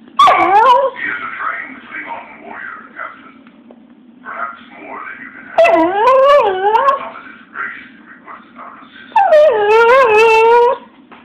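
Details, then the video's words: Pet dog asked to "Speak" answers with three long whining cries, each a wavering, harmonic-rich whine sliding down then up, separated by quieter pauses with faint voices in the room. "Cutest Dog Whining"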